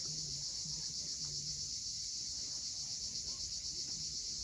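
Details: Cicadas at sunset on the steep coast of Cape Fiolent, Crimea: a steady high, shrill buzzing chorus pulsing about four times per second, over a soft low murmur from the shore.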